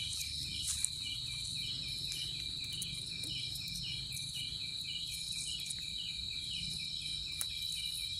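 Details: Persistent high, even cricket trill with a regular series of quieter pulsed chirps beneath it and occasional faint clicks over a low background hum.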